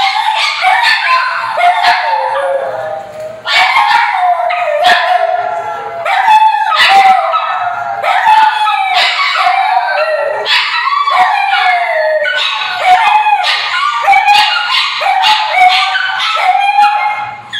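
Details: Three pugs vocalize at once, mixing wavering howls, sharp yips and whiny, talking-like moans, overlapping almost continuously and rising and falling in pitch like an animated squabble or argument.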